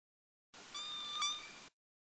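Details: A Southern Resident killer whale (Orcinus orca) of K pod gives an S17 call, a short, high, mewing cry like a cat underwater.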